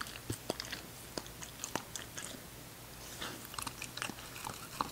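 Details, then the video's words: English Cocker Spaniel puppy Ginger eating; sparse sharp crunches and clicks, scattered singly with brief gaps, a cluster of quicker bites near the end, low hum behind. "ENGLISH COCKER SPANIEL PUPPY EATING SHOW"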